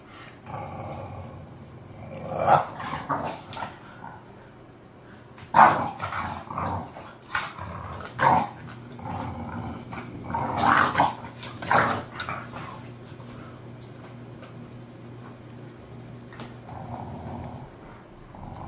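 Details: Two bored pet bulldogs making low, grumbling growl-like vocal bursts that come in irregular clusters and trail off into quiet near the end.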